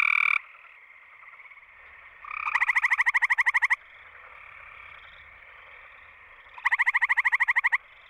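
A gray treefrog gives short, musical pulsed trills, each lasting about a second, repeated every few seconds.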